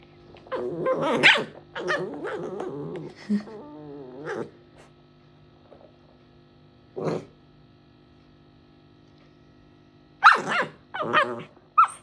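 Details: A dog at play makes a mix of grumbling growls, whiny moans and short sharp barks, amid human laughter.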